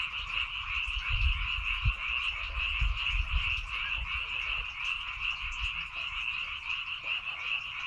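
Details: Chorus of many frogs calling in rice fields on Baengnyeongdo Island, South Korea: dense overlapping croaks forming a steady trilling wall of sound, with some low rumbling thumps in the background.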